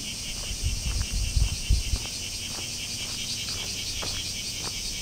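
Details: Bear cicada song on a hot midsummer day: a continuous shrill, high buzz with a faintly pulsing texture, over low thumping knocks and rustling near the start.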